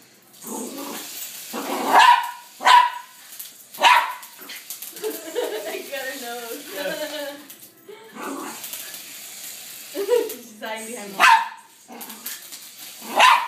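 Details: Katy Perry–costumed Poodle barking at a helicopter; scattered sharp barks come at the start and end, while people talk through the middle of the clip.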